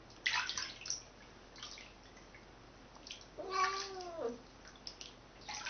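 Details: A female Siamese cat gives a drawn-out, wavering meow that drops in pitch at the end during her second bath, amid splashing water.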